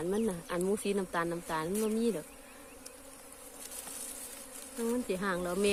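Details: Wild cavity-nesting Asian honey bees, nest found abandoned; strong wavering buzz in rapid bursts for two seconds, then a quieter steady hum, the loud buzzing returning near the end.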